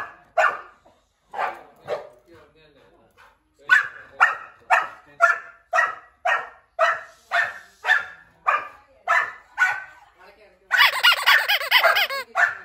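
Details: Barking as German shepherd puppy Turbo meets one-year-old Labrador Kiwi, described as angry, for the first time. A few spaced barks open into a fast, even series of sharp barks, then a burst of higher, squealing sound at the end.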